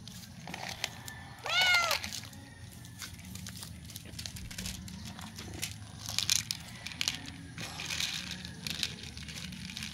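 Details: A hungry stray cat meows to ask for food: one clear, arching meow with rich harmonics, rising then falling, about half a second long near the start. Crinkling and rustling noise fills the rest.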